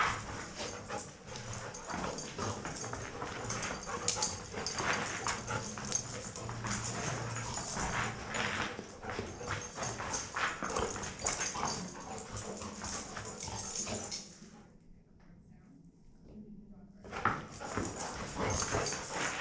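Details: Toby and Knut, two dogs alone in a room at Mount Royal University, romping in play: dense irregular scuffling, huffs and brief vocal bursts about every half second, a low rumbling stretch, then a near-silent pause before the tussle resumes.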